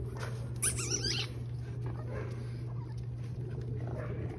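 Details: French Bulldog puppies from a litter playing outdoors in a sunny green yard at Rosebull Kennel on December 1; a sharp, high wavering squeak-whine of about half a second, then quieter scuffling over a steady low hum, with a person calling names.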